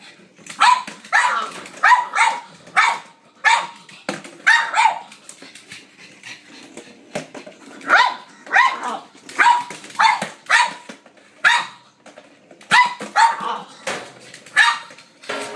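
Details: Blind female pug playing fetch indoors with a noisy battery-operated ball she tracks by sound; sharp excited barks in quick bursts of two to four, repeated throughout, with a woman's voice asking if she is ready.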